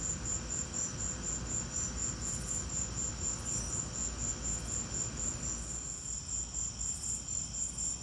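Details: Crickets heard in a lightning storm, pulsing quickly and evenly at a high pitch, about four chirps per second, while a low rumble fills the background and softens slightly toward the end.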